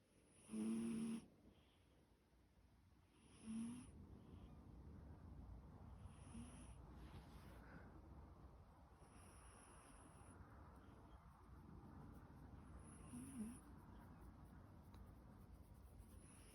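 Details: Sleeping house cat snoring indoors, each soft rasping breath recurring roughly every three seconds, with short louder snorts near the start and middle and a quiet room hush between.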